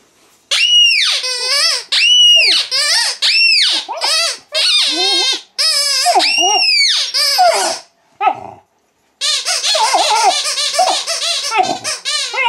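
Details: Mastiff puppy, female, squeaking back at her toy indoors: a run of high, arching whiny squeaks in quick succession, then a short pause before a denser, overlapping burst of squeals.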